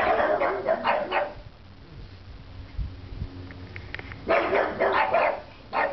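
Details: Pugs barking at nothing: two bursts of rough, broadband barks, a rapid cluster in the first second and another run after four seconds, separated by a quieter stretch with low background hum.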